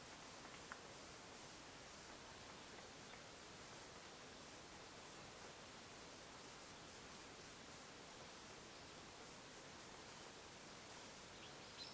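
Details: Only a faint, steady hiss of broadband noise with a soft tick or two; no animal voice comes through.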